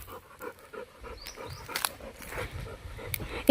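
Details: Golden the Labrador breathes in even, rhythmic pants outdoors while heading home with his coconut. A couple of brief, high bird chirps and some rustling sound in the background.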